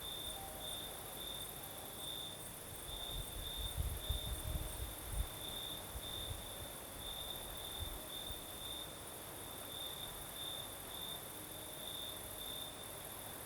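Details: Night crickets in the south of Crimea, breeze blowing: a steady high pulsing trill carries throughout while gusty low rumbles, likely wind, swell briefly around the middle.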